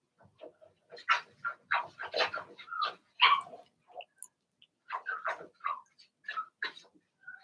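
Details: Six-puppy Blenheim Cavalier King Charles Spaniel litter in a home puppy pen, a dense run of high, yappy barks and squealing yelps overlapping in quick bursts, a short pause midway, then more barking.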